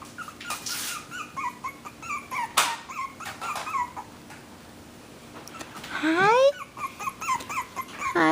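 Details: Whimpering and squealing from Cloe's AKC Havanese litter of four puppies, one girl and three boys: a run of short, wavering, high whines, then a longer rising squeal near the end, with faint voices in the background.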